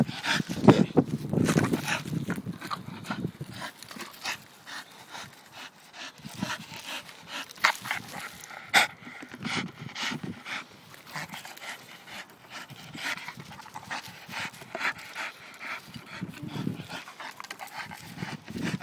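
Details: A Staffordshire Bull Terrier, described by its owner as being a pain, pants and huffs in quick, irregular breaths with soft vocal grunts.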